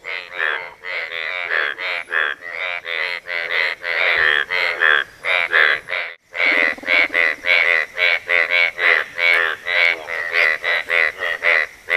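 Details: Asian bullfrogs calling to attract a mate: a dense chorus of throaty, nasal croaks, each brief and buzzy, repeated about twice a second with overlapping callers and a short pause midway.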